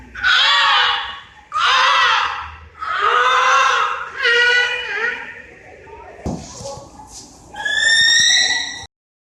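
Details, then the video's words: Beluga whales, the "canary of the sea", in SeaWorld Orlando's mostly indoor Wild Arctic exhibit give loud, harmonic squealing cries, then a high, bird-like whistle, sounds made by air moving between nasal sacs near the blowhole. "these are vocalizations of beluga whales in seaworld's wild arctic exhibit sometimes called the canary of the sea"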